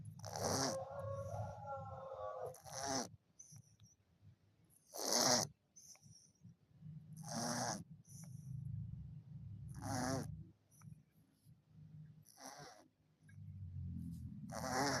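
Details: Orange cat asleep and snoring: rough, breathy snores come as short broad bursts about every two to three seconds, with quiet pauses between breaths.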